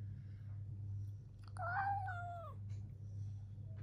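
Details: A house cat in a fight with its owner lets out one wavering meow, about a second long, that rises slightly and then falls away, against a quiet room with a persistent low hum.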